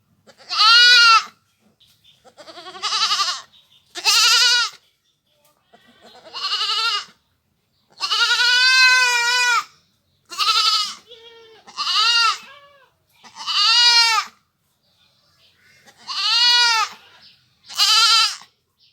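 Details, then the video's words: Village goat giving a run of about ten bleats of varying length over nearly twenty seconds, some short and clipped, others drawn out and wavering, with brief quiet pauses between. "goat sounds / really goat sound effect"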